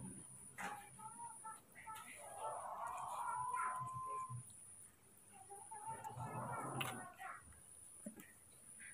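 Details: Two baby monkeys, Moni and Mino, frightened and angry at an unfamiliar cameraman, let out two harsh, raspy screeching bursts with a thin whistled tone running through them, between quieter gaps with soft human talk and handling noises.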